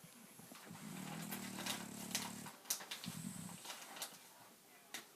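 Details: French bulldog Louie asleep and snoring, one long rattling inhalation of under two seconds followed by a shorter, softer rumble, with light clicks and household noise after.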